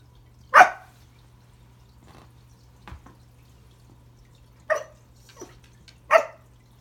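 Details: Pembroke Welsh Corgi named Remington indoors at Christmas, trying to say hello to a new toy under the tree: three short sharp barks spaced a few seconds apart over a steady low hum, with faint clicks between.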